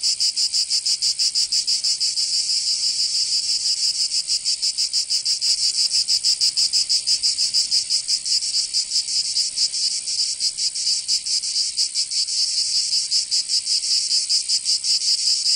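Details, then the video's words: Cicadas singing in summer in Provence, southern France: a dense, continuous high-pitched buzzing chorus with rapid pulsing throbs, steady and loud throughout, no other sounds standing out. "Canto Cigarra 🦗 [ Escuchar les cigarras en verano 10 H]"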